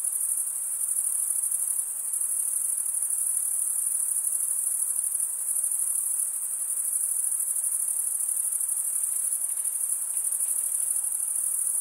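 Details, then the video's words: Continuous stridulation from crickets, wings rasped together to make the chirp. A dense, high-pitched shimmering trill holds an even level throughout, finely pulsed, with only soft background hiss and nothing else audible. "Most relaxing cricket sound for 8 hours"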